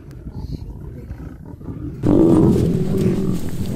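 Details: Wild lions during a male's attempt to approach a female for mating; a low rumbling background breaks into a sudden loud, harsh roar about halfway through that stays strong to the end.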